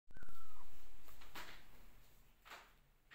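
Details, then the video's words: Kittens meowing and calling out to their mother while she keeps her distance and watches; one short meow that slides downward in pitch, then soft clicks and rustling in a quiet room. "Adorable Kittens Meowing And Calling Mother"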